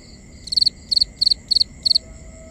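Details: Cricket at night giving five evenly spaced high chirps, each a tight cluster of pulses, roughly three per second, with a constant thin tone and soft low rumble behind.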